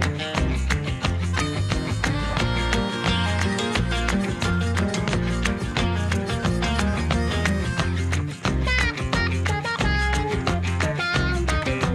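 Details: Lively flamenco-style guitar music with strummed chords and a steady rhythmic beat plays throughout.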